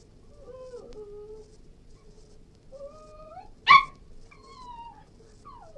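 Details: Cairn Terrier whimpering with long, level tonal whines, interrupted once by a single sharp yelp before the whining resumes.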